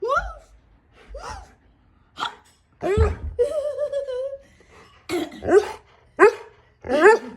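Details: Siberian Husky vocalizing in a room in a sequence of short, wavering, howl-like yips and moans, some bending up and down in pitch. There is a pause mid-sequence, then several sharp rising whines close together toward the end.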